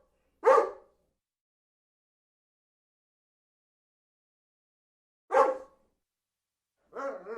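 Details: Dog barking: two single sharp barks about five seconds apart, then the start of a third at the end, with silence between.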